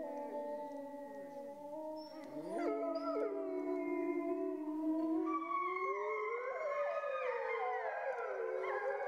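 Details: Grey wolves among the few remaining in France, sought out far afield: several long, smooth howls overlap in a chorus, some held steady, others sliding up and down, rising in loudness after the first seconds.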